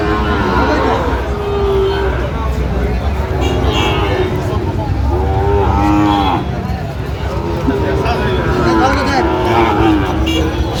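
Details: Chattogram cattle market on 31 October 2025, where Sahiwal bull calves are sold amid bargaining. Many cattle call at once, their long droning moos overlapping throughout, over a dense bed of chatter and traffic hum.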